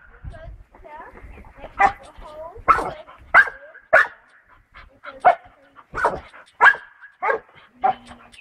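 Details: A bull terrier playing on a trampoline gives sharp, uneven barks and yelps, with human speech mixed in.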